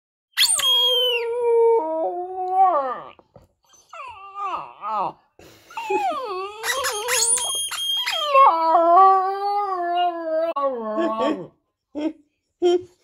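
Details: Border Terrier pup talking back to his toy: long wavering howls and yowls with rising and falling pitch, broken by short yips and whimpers, nearly continuous over thirteen seconds.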